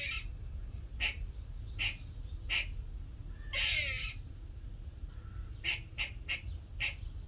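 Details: Morning in a workshop: a little squirrel utters evenly spaced barking chucks, one long raspy buzz in the middle, then a quicker burst of four chucks. Low background hum throughout.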